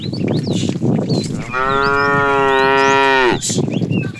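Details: Tame cattle being herded in the afternoon, a fat cow calling the female: one long, steady, richly harmonic moo held for nearly two seconds in mid-clip, framed by shuffling, rustling herd noise before and after.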